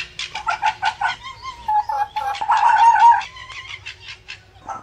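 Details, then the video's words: Fox calling in the mating season: a quick run of six or seven harsh, even barks, then a drawn-out wavering whine and a noisy, rasping bark burst, ending in a few softer yelps. "Fox calls and Barking | Fox Sounds | Fox Mating sounds"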